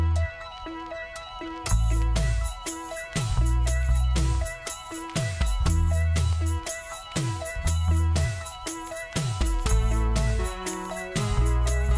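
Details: Only rhythmic instrumental music with steady beats and bass is heard, with no animal sound.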